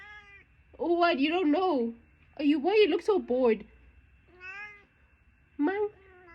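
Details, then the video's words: Chatty domestic cat indoors answering a person: two long runs of warbling, trilled meows rising and falling in pitch, then a brief lone meow, with soft human speech around them. "Mommy’s little chatter box"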